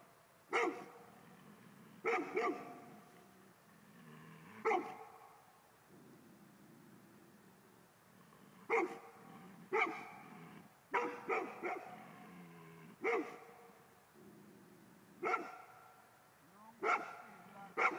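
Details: Male Golden Retriever barking at ghosts, loud harmonic woofs spaced irregularly, about a dozen over the stretch, sometimes in quick doubles and triples, with soft low grumbling between barks in a quiet room.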